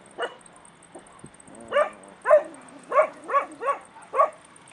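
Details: Stray puppies in Bursa, Turkey; a series of short, high yelps and whiny barks, about one every half second in the second half, over a steady high-pitched electrical whine.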